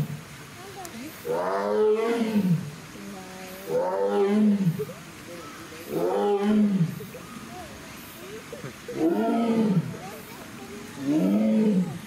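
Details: Sasha, a captive female Amur tiger born 17 February 2021 at Hamamatsu Zoo, Japan, roaring after hauling a toy cone out of the water onto land: five loud, deep, harmonic roars, each rising then falling, spaced roughly every two and a half seconds, with faint visitor voices behind.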